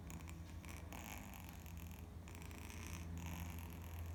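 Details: Sleeping kitten lying on its back gives a deep, even snore, a low throbbing rumble that runs without break through the recording, with light higher rustling at times.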